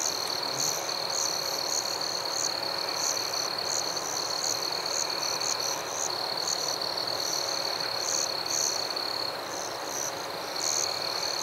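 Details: Forest crickets calling at night, a continuous shrill trill holding one high pitch, overlaid by short sharper chirps roughly every half second to second, with a dense background hiss.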